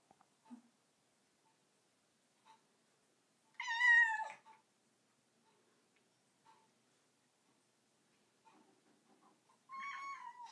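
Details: Domestic cat on a bathroom counter indoors giving two clear meows, a loud bending cry near four seconds and another near the end, separated by quiet stretches with small soft clicks and faint background sounds.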